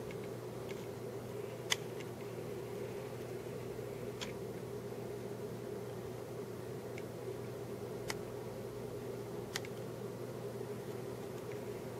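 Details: Steady mechanical fan hum fills a small room, broken only by a few faint clicks, with no animal calls.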